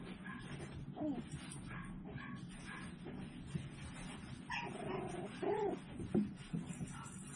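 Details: Tiny Toy Poodle puppies, seven weeks old, raised in a home-based breeder's house: soft high whimpers and short yips scattered through, with a drawn-out rising and falling whine near the end, over steady low indoor hum and handling noises.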